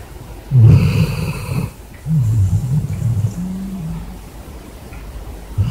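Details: Basset hound asleep in bed after a hard day, snoring as loud as a man: deep rasping low snores, a loud harsh burst near the start, then a longer rumbling snore ending in a faint whistle-like tone.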